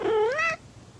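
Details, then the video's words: Domestic cat during a cat fight, one loud drawn-out meow rising in pitch with strong harmonics for about half a second, then quiet room noise. "Cat Fight"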